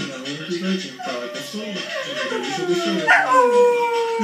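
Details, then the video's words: Cocker Spaniel howling again: wavering harmonic moans, then a sharp rising yelp near the end that falls into a long drawn-out tone, with faint background noise. "Cocker howling again"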